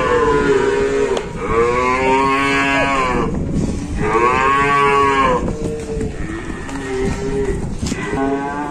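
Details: Cow trapped or collapsed during a rescue in Indonesia, giving two long, loud, moaning moos with rich harmonics, each about two seconds, then quieter, broken lowing toward the end; background hum throughout.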